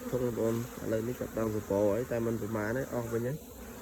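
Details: Honey bees out collecting colourful pollen in the morning. A steady, evenly spaced series of low buzzes, about two per second, each slightly wavering in pitch, fading out near the end.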